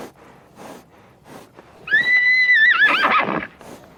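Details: Single horse neigh: a steady, high, whistle-like tone held for nearly a second, then dipping and shaking into a rough, quavering whinny before stopping, with faint hoof sounds before it.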